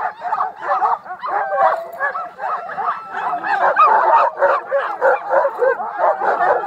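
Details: A pack of sled dogs on a Utah dog sledding trip barking, yelping and whining at once, quick uneven barks over a steady wall of high-pitched whimpers and howl-like cries.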